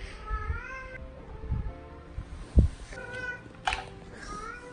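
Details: Pet cat meowing affectionately, as if calling "mama"; a drawn-out rising harmonic meow opening the clip, a shorter meow near three seconds and another after four, with thumps, steady hum and a woman speaking Mandarin.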